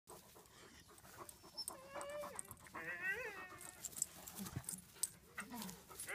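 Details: Two playful pet dogs, a beagle and another dog, playing together: wavering whining yelps and short grumbling noises amid scuffling and rustling.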